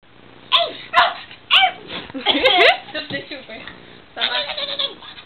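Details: Dino the pug barking and howling while playing with Ren, as he always does at play: short yelping barks and wavering howl-like cries in quick bursts, with a human voice mixed in.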